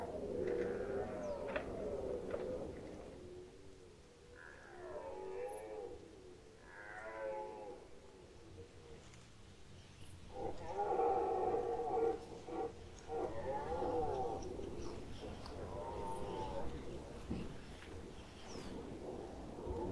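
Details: Red deer stags roaring during the rut in the Lower Oder Valley National Park, Germany, 2019; several drawn-out, harmonic bellows overlap and rise and fall, with distant roaring stags and low background rumble.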